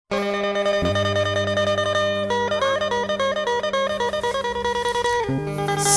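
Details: Plucked-string music plays throughout, with bright repeated notes over a low drone and no animal sounds.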